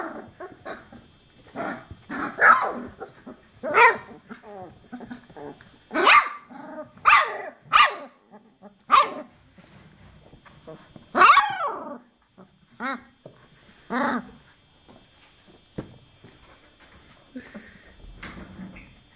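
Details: Chocolate Labrador Retriever puppies, 24 days old, giving a busy string of high tonal yelps and squeaky whines, some bending up and down in pitch, repeated irregularly every second or so, with a steady faint background hum.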